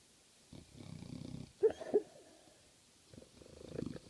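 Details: Dog snoring and making odd noises in its sleep: soft, low rasping breaths, two sharp squeaky snorts in the middle, then another slow raspy snore.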